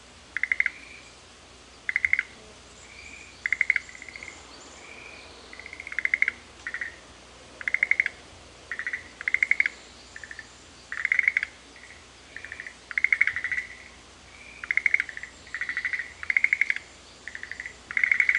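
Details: Several frogs trade calls in Sanzen-in's Shuhekien garden in Ohara, Kyoto, Japan. Dense, near-continuous clicking pulse trains alternate with smooth whistled notes, one caller answering another every second or so.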